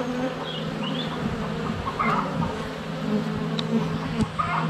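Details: Honey bees in flight at a hive entrance on a sunny February day, filmed up close with a GoPro Hero 7 Black; a dense steady buzzing drone with a low hum throughout, bees landing on the camera, and faint birdsong.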